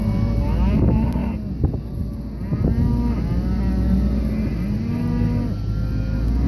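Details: Red Angus cow-calf pairs from Kansas calling; short and longer deep moos follow one another in quick succession over a steady low hum.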